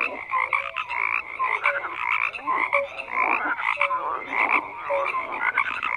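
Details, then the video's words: A chorus of frogs calling at once: pulsed, rattling croaks rising and falling in waves about once a second, with brief clear tonal notes mixed between them. "FROGS CROAKING"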